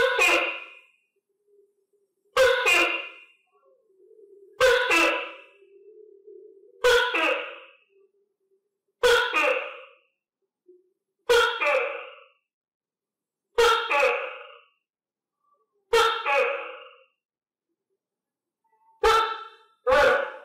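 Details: Tokay gecko kept on a diet of crickets repeats its loud two-syllable harmonic call about nine times, roughly every 2.3 seconds, each note sharp-edged then fading; quiet room otherwise.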